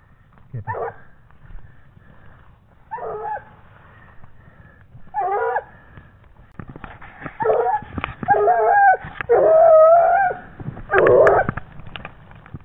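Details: A 17-month-old Gascon Saintongeois hound on a wild boar trail bays in short, spaced bursts that grow louder and more frequent, ending with a run of ringing, slightly wavering bays and some clicks.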